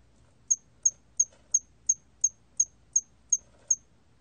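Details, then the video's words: Ten crisp, high-pitched chirps from a hairy cricket, evenly spaced roughly three per second, with faint low background rumble; National Institute of Biological Resources recording from 2020. "털귀뚜라미, 여러번 듣기, 곤충소리"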